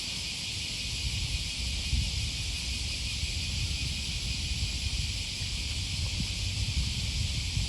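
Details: A riverside cicada chorus, Okawa River by Sakuranomiya Park, Osaka, Japan, first Thursday of August 2020, morning: a dense, unwavering high buzz carries on throughout, over a busy low rumble of footsteps and city noise.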